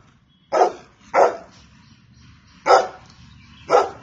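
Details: Golden Retriever barking: four loud, sharp barks, two close together, then a pause and two more spaced about a second apart over a low background hum.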